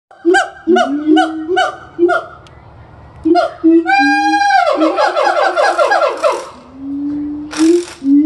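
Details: Siamang gibbons at a zoo in Florida sing loud, rising whoops and barking calls in rapid, repeated bursts.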